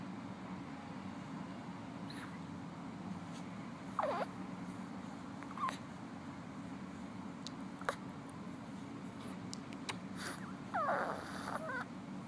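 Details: One-month-old female Savannah kitten asleep on her side, making a few brief squeaky chirps, some sliding downward in pitch, scattered across the recording over a steady low background hum.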